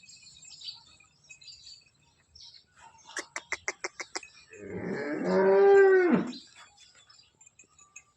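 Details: Holstein Friesian cow in her second lactation, giving 20–21 litres of milk, docile and large, at Somthane village, Sinnar, Nashik, nine months along by 28 September 2025; a series of rapid clicking pulses, then one loud drawn-out harmonic moo that swells and fades.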